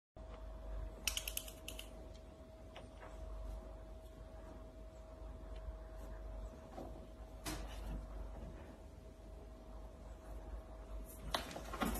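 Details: Tapping and clicking like typing on a keyboard over a low room rumble and a steady electrical hum, with no animal call.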